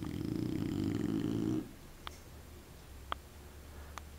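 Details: Indoors, the plump dog Candy ends a throaty, vibrating snore that fades out after about one and a half seconds, followed by quiet with a few soft ticks and small noises.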